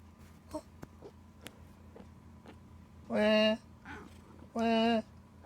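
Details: Pet cat making odd, strange sounds: two drawn-out, flat, nasal wails, each about half a second long with rich harmonics, after soft indoor background noises and small clicks.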